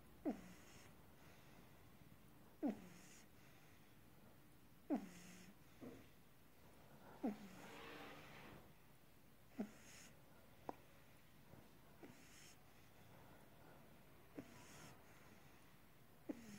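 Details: A sleeping pug puppy gives soft nasal snorts and wheezy breaths, roughly every two to three seconds, some fainter than others, against a hushed indoor background.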